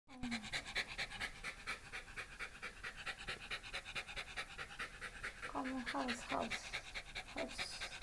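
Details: Shiba Inu at home during a pet sitter's home visit in the Yaizu and Fujieda area of Shizuoka, Japan, on 30 September 2018; fast, steady breathy panting pulses, with brief tonal voice sounds midway and a person speaking.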